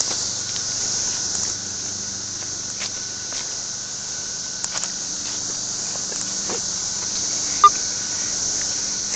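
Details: Continuous shrill, hissing buzz of cicadas that stays level the whole time, with a few soft taps, a faint low hum and one brief knock near the end.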